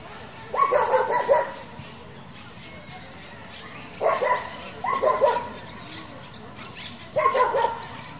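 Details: German Shepherd from a group that breeds and competes with the breed, giving four short, deep barks in separate bursts spaced a few seconds apart, with faint background noise between them.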